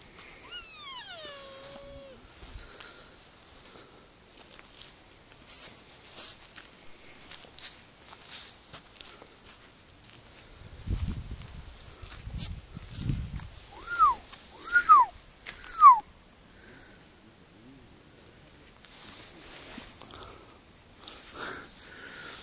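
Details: Sika deer recorded very close: a high descending whistle with stacked harmonics opens the recording. Later come three short arched whistles in quick succession, with rustling and footsteps in between.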